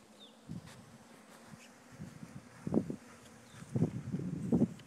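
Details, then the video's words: Honey bee swarm, issued from one of a farm's own hives, being moved by hand: a low steady hum with louder buzzing bursts around three and four seconds, plus soft handling and rustling noises. "Moving Bee Swarm"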